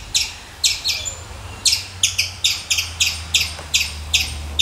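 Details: A squirrel repeats sharp chips, often in close pairs, at an uneven but steady pace, with a low droning hum underneath.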